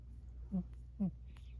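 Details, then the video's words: Emma Rose, a Burmese cat, making cute little noises in her sleep: two short, soft, squeaky chirps about half a second apart, with a steady low hum and faint room sound underneath. "Emma Rose the Burmese cat making sleep noises"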